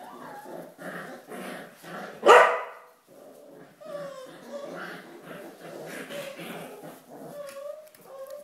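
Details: Corgi at the Volga, busy with a sponge, lets out a single loud bark in the middle of ongoing human speech. Chatter and soft background noise continue around it.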